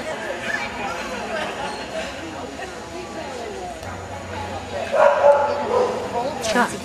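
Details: Norwegian Elkhound barking indoors at the 2008 elkhound national dog show in Rochester, Minnesota. A short burst of sharp, loud barks comes near the end over a steady background of people talking.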